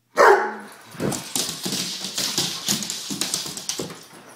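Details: Indoors, a one-year-old Weimaraner lets out one loud opening bark followed by a rapid run of softer, choppy whimpering and grumbling sounds repeated several times per second.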